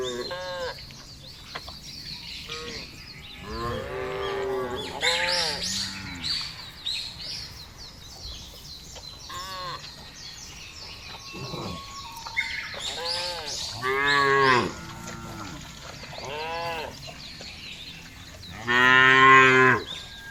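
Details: Cows in a field mooing several times, each call a harmonic, slightly wavering low moo lasting about a second, spaced irregularly, with bird chirps and rustling in the background.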